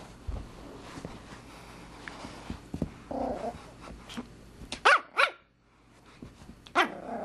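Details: Pomeranian puppy Beatrix, roughly 14 weeks old, grumbles softly, then lets out a quick pair of shrill, squeaky yips followed by a brief pause and another high yip, with household rustling in between.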